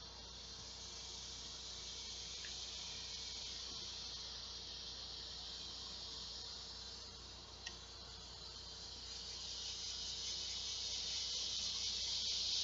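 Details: Large male cicadas calling for females to mate at midday on a hot summer day, 2 August 2016: a continuous high, hissing drone that holds steady and swells louder toward the end.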